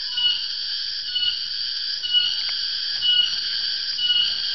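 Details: A cicada (tonggeret or garengpung) in Java calls in the afternoon, a sign the dry season is coming: a dense, shrill, nearly unbroken high buzz that swells and eases about once a second, faint low rumbling behind.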